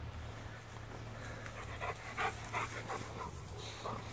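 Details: Rottweiler pet dog on a daily walk through a field: soft, breathy panting in quick rhythmic bursts, about three per second, low in level under steady wind and handling rumble.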